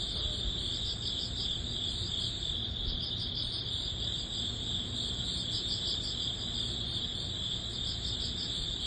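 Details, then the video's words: Crickets and other grass bugs calling in early autumn: dense high trilling with rhythmic pulsed chirps throughout, steady in loudness, low background rumble beneath. "초가을 풀벌레_ 백색소음_ Cricket sound"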